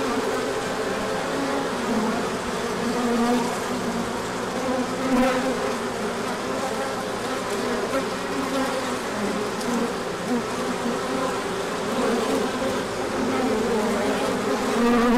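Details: Bees swarming out in a large orientation flight when the sun appears after a cold spell, March 24, 2024; continuous layered humming, individual buzzes swelling and fading as insects pass close.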